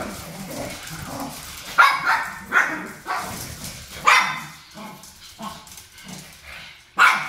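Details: Japanese Chin dogs, mama and papa fighting while the daughter sides with mommy; a few sharp yips and barks spaced about a second apart over a low grumbling background.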